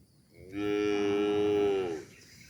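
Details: Tame calf giving one steady, drawn-out moo of about a second and a half, even in pitch and tone, with faint background noise.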